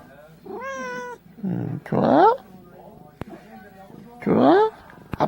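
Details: Pet cat, a housemate of more than ten years, giving three loud, drawn-out meows, the later ones rising then falling, between affectionate Korean speech from its owner close by.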